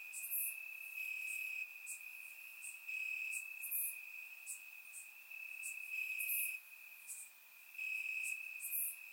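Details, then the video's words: Warm summer night in Bulgaria with crickets calling from the grass: unbroken shrill trill at steady pitch, scattered quick chirps above, and a piercing accent note recurring every few seconds. "Cricket Sounds - Crickets Chirping at Night"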